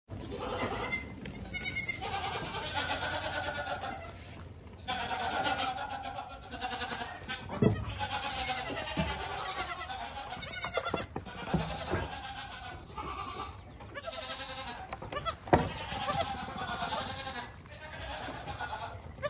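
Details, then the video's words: Young goat kid bleating in repeated wavering calls with rich harmonics, several bleats spread across the recording, with scattered knocks and rustling in the background. "ANAK KAMBING LUCU"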